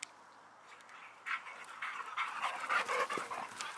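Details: Boxer Rex, a Swedish male born in 2015 living outside Landskrona in southern Sweden, plays with his female dog friend Tuva on a playdate: a quiet opening, then rapid huffing pants and scuffling bursts, roughly four per second.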